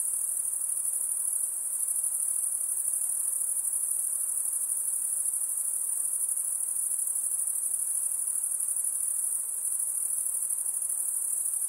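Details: Unbroken high insect trilling, a thin bright ringing that stays steady in pitch and volume, over a faint hiss.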